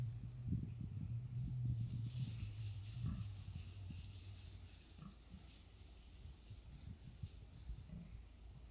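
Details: Wild boar in a forest, meeting a man: low, rough grunts repeated rapidly in the first three seconds, then quieter scattered grunts, over a steady low rumble and faint hiss.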